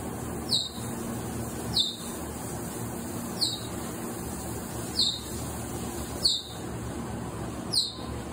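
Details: Cheetah cubs, one of six born in March, giving short high piping peeps, each a quick downward-sliding squeak repeated about every one and a half seconds, over a steady low rumble of background noise.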